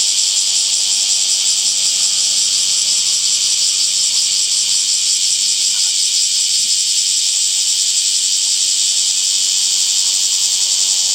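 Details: Summer cicada chorus in a green, wooded setting: a continuous shrill, hissing drone at high pitch, steady and unbroken from start to finish with no other clear sounds.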